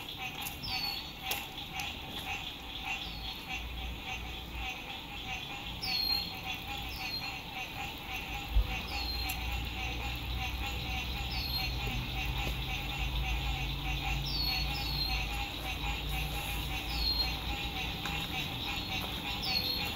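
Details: A spring 2021 sunset frog chorus by a lake, recorded at a lakeside RV camp in good weather: continuous pulsing trills blend into a thick wall of sound, crossed by brief downward-sliding whistles, a few sharp clicks and a low road hum.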